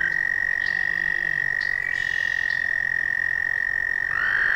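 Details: American toad. An American toad sings a sustained, even trill, a high sweet buzz held without a break. Near the end a second toad joins with a slightly higher, rising trill.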